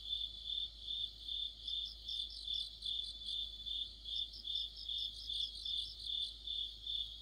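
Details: Crickets and companion insects in an autumn night orchestra beside a streetlight, a high ringing trill beating steadily about two and a half times a second, while a higher rapid chirping rises in from the second second onward.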